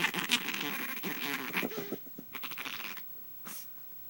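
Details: Chihuahua under the bed sheets defending her spot in the bed, treating a hand as another dog; a rough, rattling growl for about two seconds, then fading into softer rustling and snuffles.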